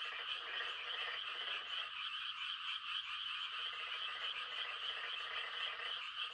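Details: Frogs giving mating calls on a quiet country night: a dense, unbroken chorus of trilling croaks, with a lower rasping layer of callers that drops out for about two seconds midway and then returns.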